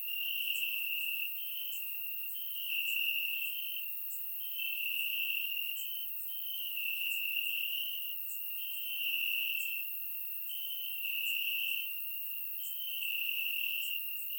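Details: Crickets calling from grass on a warm summer night in Bulgaria, surround-recorded: a continuous thin high trill that surges in regular loud bursts about every two seconds, with sparse clicking above.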